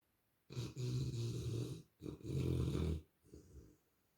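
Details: A Rottweiler sleeping on a sofa snores in long, deep, rumbling breaths, two big ones followed by a softer third.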